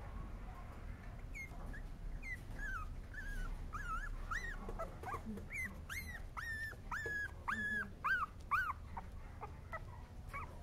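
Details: Male Cavalier King Charles Spaniel whining: thin, high whimpers with arched, rising-then-falling pitch, at first sparse, then coming in a quicker run of sharp, nasal whines about twice a second over low background rumble.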